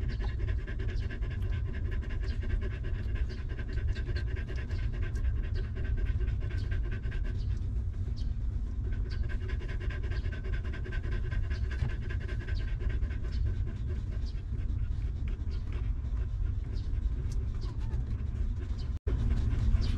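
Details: A stray dog mother with her puppies, sheltered and fed after living in a rough place, pants quickly and continuously; the steady breathy rhythm holds for about nineteen seconds, broken by one brief dropout near the end.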